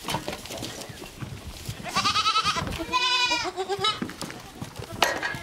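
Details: A baby goat in a goat playground gives two high, quavering bleats in quick succession over a noisy background.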